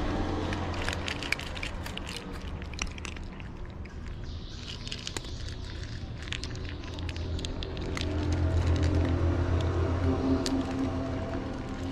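Low rumbling background noise with scattered clicks and crackles, and no clear animal voice.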